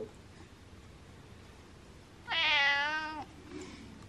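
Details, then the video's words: Male domestic cat wanting to be the centre of attention gives a single clear, steady, bright meow lasting about a second in a quiet room. "Meowing Cat Likes To Be Center Of Attention"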